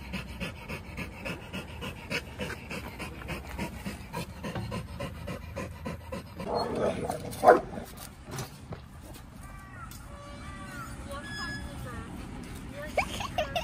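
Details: Samoyed puppy Whiskey playing with other dogs in a dog park; quick rhythmic panting fills the first six seconds, then a sharp thump and brief human voices and whine-like sounds take over the remainder.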